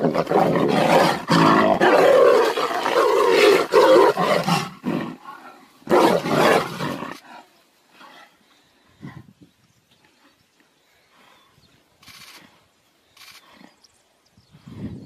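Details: Two tigers fighting, with loud harsh roars and snarls filling the first seven seconds in dense bursts, then quieter scattered growls and short grunts over near silence.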